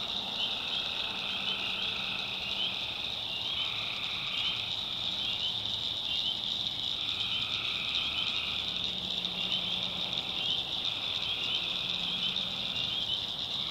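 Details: Swamp at night in backwoods North Carolina, where tree frogs keep up a continuous piercing chorus; lower trilled phrases swell and drop away, and a deep steady hum comes and goes beneath them.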